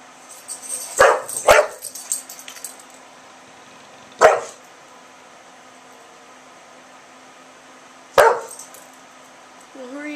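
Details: Milton the English Bulldog, indoors by an open window in Oklahoma on a warm September 2011 day, barks back at a yappy dog down the street: a quick pair of gruff barks, then single barks several seconds apart, with a person talking.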